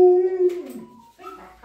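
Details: Alaskan Malamute and Australian Shepherd puppy howling before going out; a steady, clear sustained howl that slides downward and fades, followed by softer whimpering tones.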